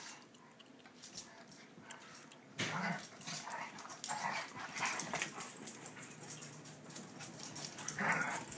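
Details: Sandy and Dottie, a big dog and a little dog, playing together: after a quiet start, bursts of rough growling and short whiny vocal noises come in and out, mixed with scuffling and clicking sounds of movement.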